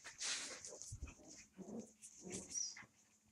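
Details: Twenty-five-day-old puppies at night in a living room give short, soft whimpers and squeaky yelps over about three seconds, mixed with brief hissing, rustling noises.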